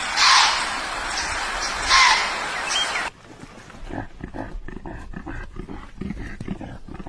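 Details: Deer. A deer lets out two loud, harsh, rasping calls, each a short, strained burst. Afterward only quieter rustling and scattered clicks remain.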